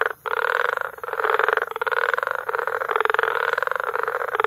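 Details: Many frogs calling together at Bagamoyo, Tanzania, in May, a frog concert of buzzy, fast-pulsed croaks that blend into a steady, throbbing chorus with only one short pause near the start.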